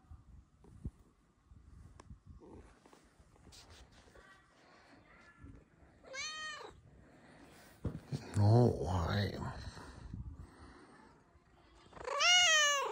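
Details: Blue-eyed female kitty giving cheerful meows: two drawn-out, arching meows separated by several seconds, the last one loud. A person's gentle voice and soft rustling fill the gaps.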